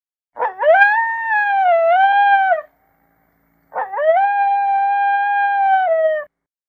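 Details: One African wild dog whining: two long, steady, tonal whines of about two seconds each, rich in overtones, with a short upward slide at the start and a brief silent gap between them.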